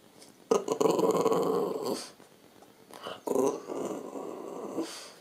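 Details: French Bulldog talking to the camera: a long growly, moaning grumble of about one and a half seconds, a pause, then a shorter rising whine-groan and softer muttering.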